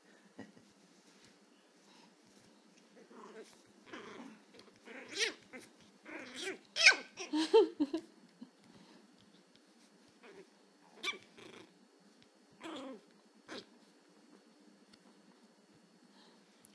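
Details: Angry Chihuahua puppy learning to bark, letting out scattered short yips and growly barks, loudest in a cluster near the middle, with quiet gaps between bursts and faint background hum.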